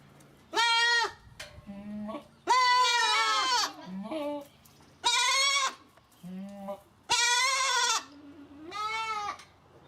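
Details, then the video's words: Domestic goats, young kids among them, giving a series of loud, wavering bleats, each about a second long with rich harmonics, separated by short pauses, with a few softer low bleats between the main calls. "Goat Sounds, Goat Pictures, The Sound A Goat Makes"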